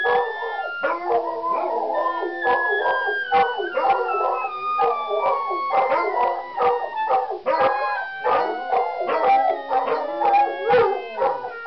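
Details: Pack of pet hounds howling along with a clarinet warm-up played as a chromatic scale. Several overlapping wavering, tonal howls blend with the rising clarinet notes and form a dense, continuous chorus.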